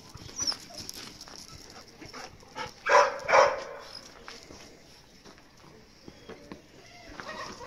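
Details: Energetic Golden Retriever puppy that won't stop playing gives two quick, sharp yips close together amid soft scuffling and rustling.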